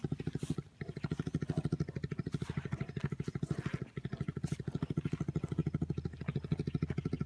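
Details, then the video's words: Bears purring while wrestling at an orphaned wildlife center: a steady, low, motor-like throbbing made of rapid pulses, roughly ten per second, continuing almost without break, with brief pauses and faint rustling and clatter of movement. "Purring bears"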